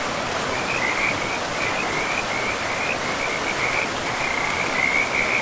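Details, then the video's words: Forest river setting with frogs giving rapid, rattling croak bursts, each about half a second long, strung almost end to end across the clip, laid over the constant hiss of running river water. "River and Frogs sleep sounds"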